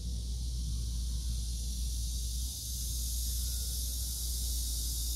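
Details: Cicada sound as an unbroken shrill hiss, steady throughout, with a constant deep rumble beneath.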